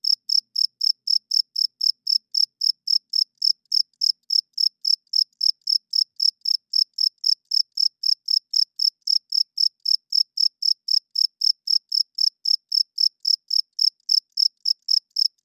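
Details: Nighttime chirping of a male cricket, produced with its wings to draw females and mark territory; a steady, unbroken train of sharp high chirps, nearly four per second, fills the whole stretch with no other sound.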